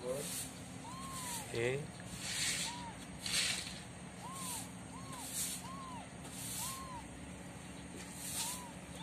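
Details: A mother cat with kittens during the day: thin, arched mews repeat roughly once a second, partly masked by recurring hissy bursts of noise and a low background hum.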